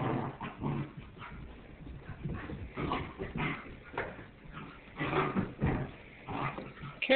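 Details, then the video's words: Goldendoodle puppies Zeke and his littermate brother Obe wrestling on an indoor floor; frequent short yips and rough growling bursts, with a person's voice talking over the play. "Zeke, the golden doodle puppy,and his brother Obe playing"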